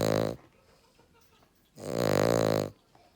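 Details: Male Cavalier King Charles Spaniel asleep, giving deep, rumbling, rasping snores: a short burst followed after a pause by a longer one lasting about a second.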